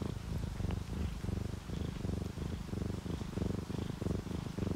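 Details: Sleeping house cat, ginger tabby or calico, purring contentedly; deep, rhythmic rumble swelling and fading roughly every half second in even inhale-exhale cycles, with soft rain in the background.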